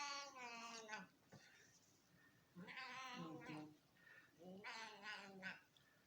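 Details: Female domestic cat making funny noises while her owner feeds her: three drawn-out, wavering meow-like yowls, each about a second long, separated by short pauses, with a person's voice talking in between.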